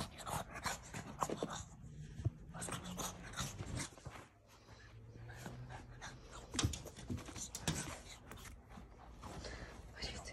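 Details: Young blue French Bulldog, a male puppy, panting and snorting indoors in a long run of rapid, rough breaths, a low nasal drone under the huffs, a short quieter pause midway, then the snuffling resumes.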